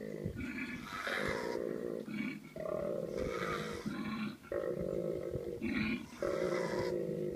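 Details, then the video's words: Koalas calling in mating season, a male producing very deep, rattling, grunting bellows in sustained bursts with short breaks, mixed with a female's harsh high screeching. "Koala's Freaky Mating Call"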